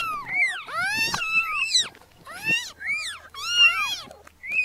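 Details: Several very small newborn kittens meowing together, high thin arched cries overlapping one another, some rising then falling, with short breaks between bursts.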